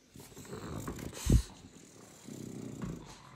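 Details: French Bulldog demanding attention, making a low rumbling grunt that swells, peaks in a sharp snort after one second, and returns as a second low rumble; a woman talks before and after.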